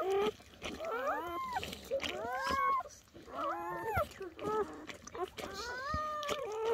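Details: German Shepherd puppies just born to Betty, first night of labour indoors, squeak and whimper in a rapid string of short arched cries, some rising, some falling, overlapping soft human talk as the mother eats the placenta.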